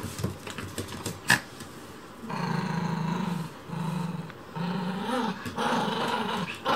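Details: A Chihuahua interfering with house cleaning growls in sustained, throaty, low rumbling bursts of one to two seconds separated by brief pauses, after a few clicks and household noises.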